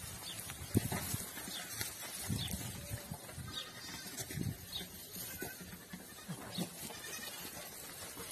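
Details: Goats on a farm keeping 165 adult goats and 200 kids; several short, harmonic bleats rise at scattered moments over a steady hissing, rumbling farmyard background.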